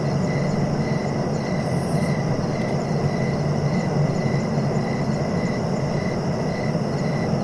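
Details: Relaxing cricket chirps, evenly spaced brief pulses at a moderate pitch about twice per second, partly masked by a loud steady low rumble resembling distant traffic.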